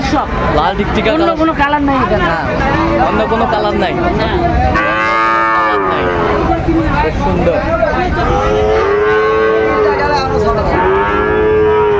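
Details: Lowing from Sahiwal bull calves, a batch of 24 acquired by a Jashore farmer in Bangladesh on 12 September 2025; arching harmonic moos come in several bouts, strongest midway and at the end, over market chatter.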